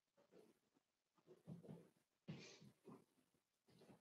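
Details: Cavalier King Charles Spaniel puppies, Daisy's four-week-old litter, in an indoor pen: soft overlapping whines and murmurs with a brief brighter squeak midway, all continuous and low against quiet room noise.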